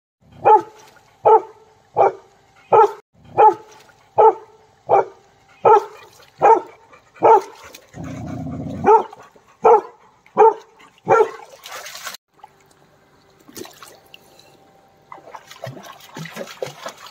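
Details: Labrador Retriever playing in a river, barking in a steady series of sharp, evenly spaced barks about every three-quarters of a second for eleven seconds, then quieter rustling and splashing sounds with scattered softer noises.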